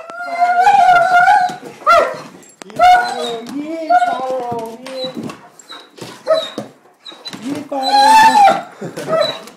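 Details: A pet dog greets a family member who has come home after about a month away, a reaction it shows every time; long, wavering, high whines and yelps rise and fall in quick bursts, with human voices mixed in.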